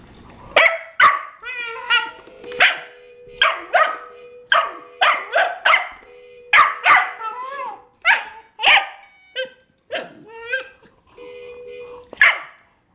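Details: Cairn Terrier barking furiously at a baby toy car: rapid, sharp barks mixed with rising whiny yelps, nearly continuous over thirteen seconds with only brief gaps.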